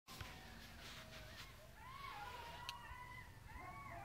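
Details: Coyotes heard at night near a house on Dularge, a nightly occurrence; several overlapping wavering yelps and rising, sliding howls climb and fall, with a faint background hiss.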